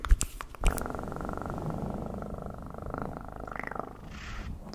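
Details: A few sharp clicks open, then a domestic cat purrs in a steady, even low vibration that softens slightly toward the end.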